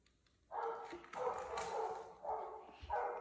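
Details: Golden Retriever, the eldest of the household dogs, barking wildly at a home pool in Cheongju while the youngest dog swims alone; four harsh, mid-pitched barks in quick succession, the last bursts running together.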